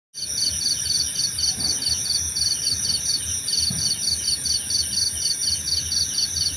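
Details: Crickets in a relaxing nature soundscape, offered for sleep and meditation: steady high chirp trains pulse rapidly in evenly spaced bursts over continuous high-pitched insect drones, with low rumbling background noise.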